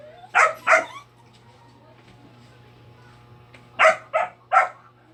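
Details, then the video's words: A dog giving short sharp barks, two close together, a pause, then three more in quick succession, over a steady low hum. "Crying dog"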